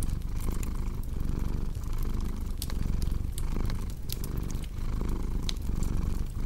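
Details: Loud, close cat purr with a buzzy low rumble and rhythmic breath breaks, accompanied by crisp popping from a fireplace.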